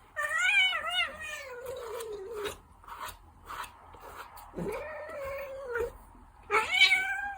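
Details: Ragdoll cat giving several long, wavering meows with rich harmonics, the first two stretched over a second or more with a gently rising and falling pitch, then a short low drop and a final loud meow.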